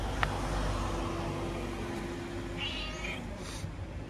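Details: Stray cats gathered together in a crowded meeting; one short meow near the end, over a steady low rumble of traffic and a faint thin hum.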